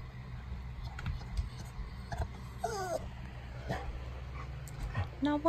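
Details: Pet dog addressed as Jake whining at home: a short wavering, tremulous whine near the middle, then a brief high sharp whine at the end, over a steady low hum, scattered clicks and background household noise.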